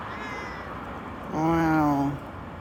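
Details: Stray cat giving a single drawn-out meow lasting under a second, harmonic and slightly falling, after a brief faint high tone; otherwise quiet background.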